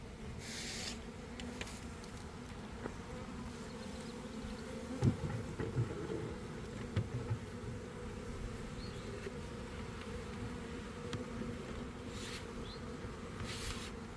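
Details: Honey bee swarm forming near a hive in a garden around one in the afternoon, after a week of cold, damp weather, recorded from inside the swarm: a dense, unbroken low hum of countless wings, steady throughout, with a few faint clicks and rustles.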